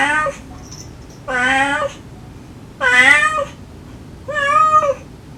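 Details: A stray mother cat softly calling her kittens, kittens answering affectionately; four clear drawn-out meows about every second and a half, rich in harmonics, with quiet between.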